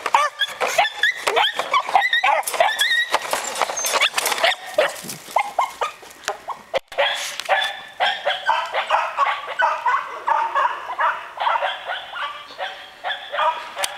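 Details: Puppies chasing each other, giving a dense run of high-pitched yips and short barks, several voices overlapping in rapid bursts for the whole stretch, with a brief pause near the middle before the yapping resumes.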